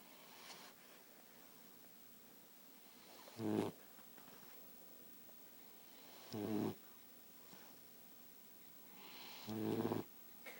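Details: Sleeping short-nosed dog snoring loudly indoors: three rough, rasping snores about three seconds apart, each lasting under half a second, with quiet breathing between.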